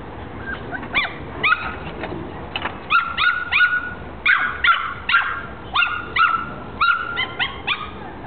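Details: Very upset one-month-old female Jack Russell Terrier puppy in Bucharest, Romania. She gives rapid, high-pitched yapping barks and whiny yips in quick bursts, often two or three together, continuing throughout.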